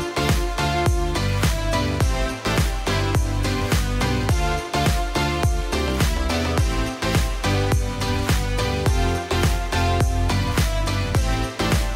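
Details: Upbeat electronic dance music with a steady pounding beat and layered synth chords fills the whole stretch; no animal voice stands out.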